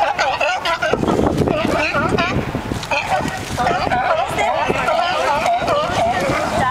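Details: Sea lions mid-squabble and singing, a constant jumble of bleating, wavering calls layered over one another, some rising and falling in quick loops, with a rough noisy background.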